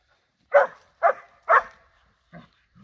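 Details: Playful dogs, a Borzoi with Golden Retriever and Poodle friends: three evenly spaced barks half a second apart, then two faint low grunting sounds.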